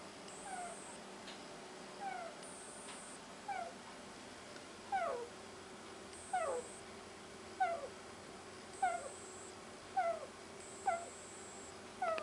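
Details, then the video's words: Sleeping guinea pig snoring: soft, short, downward-sliding squeaky wheezes come about every second, steady and rhythmic over a quiet indoor hiss. "Guinea Pig Sneeze"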